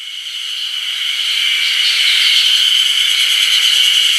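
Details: Ezo haruzemi cicadas in full voice on 1 June 2019 at the Ohgiri level crossing on the Kamaishi Line: a dense, shrill, continuous buzzing chorus, high-pitched with a faint rapid pulsing, swelling in loudness over the first seconds.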